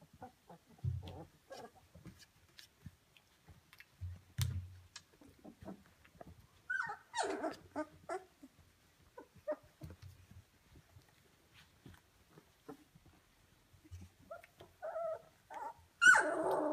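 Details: A kennel litter of Rhodesian Ridgeback puppies at day 17, becoming livelier: low grunts and soft growl-like noises mixed with short whimpers, rising to sharper, higher squeals near the end.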